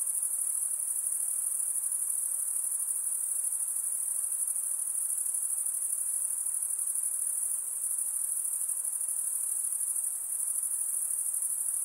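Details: Insects calling after dark: one sustained, shrill high-pitched drone of many callers blending together, even in loudness from start to finish, with a gentle background hush.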